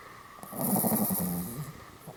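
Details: Pomeranian asleep in a Goromaru-style pose snores once for about a second, a low buzzy rattle of rapid flutters with a hissy breathy edge that fades out, set against steady quiet indoor background.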